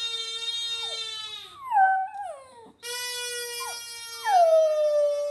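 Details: Hamish, a Border Terrier, singing: long, steady, harmonic-rich howled notes that bend and slide downward in places, broken by a short pause midway before the drawn-out wail resumes.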